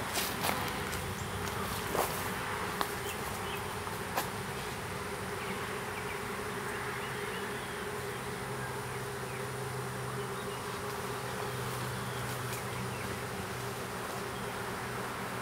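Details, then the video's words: Buzzing of a small honey bee swarm as it is hived in a privet hedge thicket in south Alabama, April 12, 2014; an even, unbroken drone with a low hum and occasional clicks early on. "Honey Bee Swarm"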